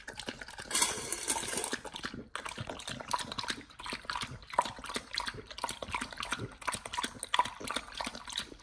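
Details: A Pit Bull, nomyen, eats a raw whole duck from Thailand for the first time; wet slurping and crackling chews in quick succession, a hissy burst early, then rapid moist crunching.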